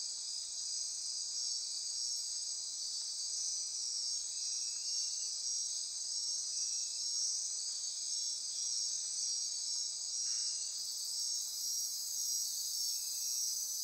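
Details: Nocturnal rainforest insects near Corcovado National Park, Osa Peninsula, Costa Rica, form a continuous shrill, even trilling wall of sound; a brief burst of hiss joins in near the end.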